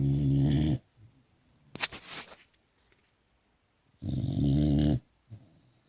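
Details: Sleepy Boxer puppy snoring: two low, rough snores about a second long, spaced roughly four seconds apart, with soft rustling between them in a quiet room.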